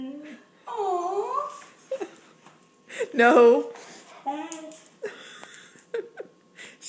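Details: A female German Shorthaired Pointer vocalizes as if begging for something, 'saying please': drawn-out warbling whines that swoop up and fall, a louder strained outburst midway, then shorter whimpers, with a person talking and laughing nearby.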